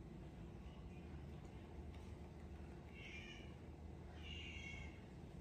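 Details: Lazy rescued cat that now mostly eats and sleeps, giving two soft, short meows about a second and a half apart over a steady low background hum.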